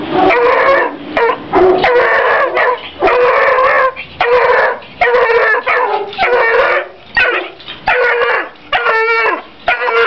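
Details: Young female Walker Hound, three months old, letting out drawn-out bawling barks and baying howls, each about half a second to a second long, repeated in a steady series with short gaps.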